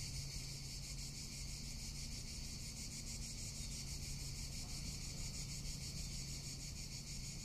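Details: A Tuscan summer cicada call, a constant, high, rasping buzz pulsing quickly and without pause, set against low background hum and a little wind.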